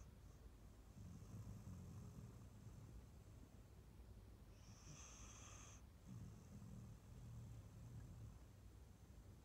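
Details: Lizzie, an adopted rescue Staffordshire Bull Terrier × Rhodesian Ridgeback female born 2012, dreaming asleep on a sofa after a long walk and big meal; soft low rumbling snores, a steady faint high whine and a brief sharper high tone midway.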